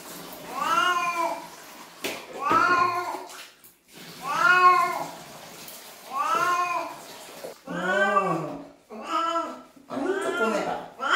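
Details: House cat in the bath calling repeatedly: about seven loud, wailing meows roughly every one and a half seconds, some rising at the start and falling at the end, becoming shorter and more urgent toward the end.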